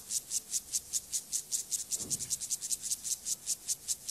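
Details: Acridine grasshopper Gomphocerus sibiricus singing during sexual behaviour: evenly spaced, high, dry rasping pulses at about two and a half per second, with a brief low thump midway.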